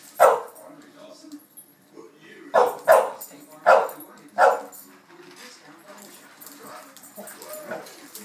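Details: Dogs worked up at breakfast feeding time give one loud bark, then a quick run of four sharp barks, before settling into quieter whines and yips.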